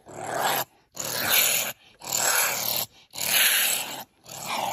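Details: A honey badger (Mellivora capensis) gives harsh, raspy growls in bursts about a second long, separated by short pauses.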